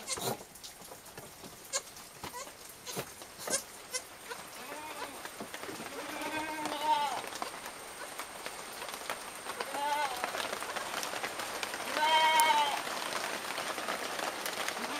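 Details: Little goats feeding on milk give a few scattered short wavering bleats amid frequent clicks, knocks and slurping sounds, with a faint steady high hum.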